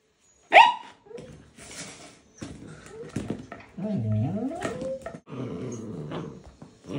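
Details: A husky puppy pesters an older husky to play with it and its toy chicken. A sharp high yelp comes first, then low growly grumbles and a run of wavering, rising and falling whine-howls, with rustling between.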